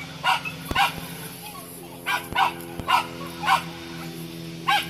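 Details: Parson Russell Terrier puppy, 13 weeks old, giving short high yapping barks roughly every half second to second, six or seven in all, over a steady electrical hum and a few sharp clicks.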